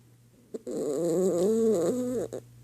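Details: Dachshund named Gunner snoring indoors on Christmas morning, sleepy after opening his gifts; one drawn-out, tonal, wavering snore lasting about one and a half seconds, framed by short snorts before and after, with a steady low hum beneath.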